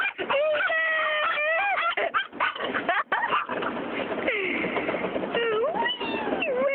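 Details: Excited female dog in a car at a car wash; long wavering high whines that slide up and down, mixed with clipped yips, sound almost without pause against steady spraying and scrubbing noise.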